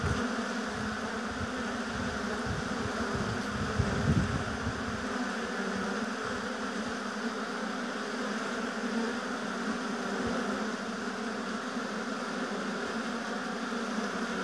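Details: Honey bees at their hive in an apiary, a continuous even droning hum of many bees, briefly louder around four seconds as one flies near.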